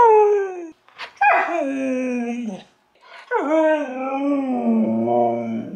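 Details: A pet husky 'saying' hello and other words: a falling howled note, a brief gap, then two longer, wavering, talk-like howls with a rough, yodelling quality and slight pitch wobbles.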